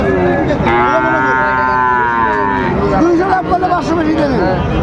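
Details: At Raniganj cattle market, Dinajpur, 26 July 2024, among Friesian and crossbred bulls and calves, a sustained harmonic moo fills the first half, followed by shorter wavering calls beneath busy market chatter.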